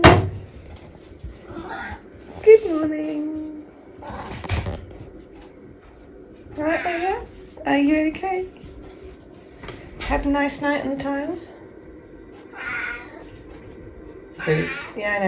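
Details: Eric, a tabby cat indoors in the morning, meowing while he waits for his breakfast: several drawn-out tonal meows that rise and then fall, spaced a few seconds apart, mixed with a person's voice and cupboard or door sounds.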